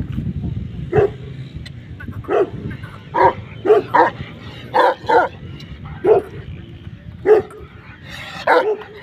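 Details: Pakistani Bully Kutta giving deep single barks in uneven bursts, about a dozen over nine seconds, each short and forceful, over a low steady background rumble.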